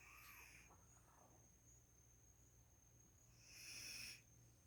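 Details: Sleeping female Labrador Retriever snoring, with a soft airy exhale at the start and a louder hissing breath near the end. A thin, constant high electronic tone hums underneath.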